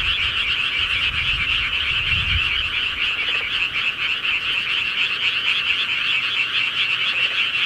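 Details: Night chorus of rural frogs in Korea: many overlapping rapid croaking trills merge into a constant pulsing drone, with brief low rumbles near the start and otherwise steady sound.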